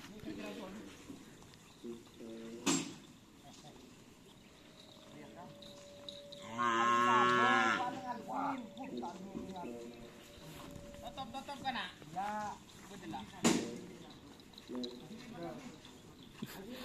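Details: Cattle at Karapan Sapi bull-racing training on the Asemanis field, Pamekasan; one loud, long harmonic moo rises midway, with softer wavering calls before and after, some speech and open-air background noise.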